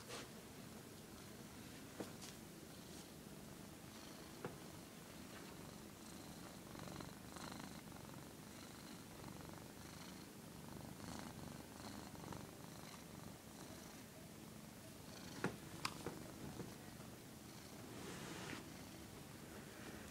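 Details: A house cat that does not like being filmed purrs steadily in a low, unbroken rumble, with occasional soft taps and rustling.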